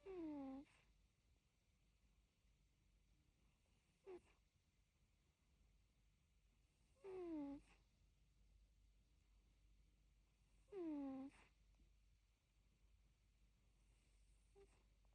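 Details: Egyptian Mau asleep, snoring with brief high nasal whistles that fall in pitch. They recur about every three to four seconds, with one faint shorter squeak between, against soft room hiss.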